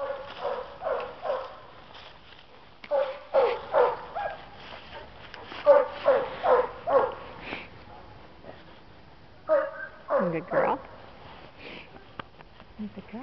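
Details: Adult female Black and Tan Coonhound at an animal shelter, available for adoption, giving a run of loud barks and yips in bursts, then a few whining, rising and falling cries near the end.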